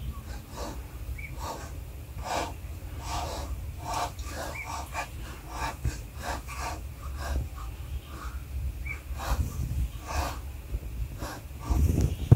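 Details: Young cheetah cubs, five siblings of mother Philipina, one a King Cheetah, with eyes opening and becoming more active: a run of short, breathy hisses repeated every second or so over a steady low rumble.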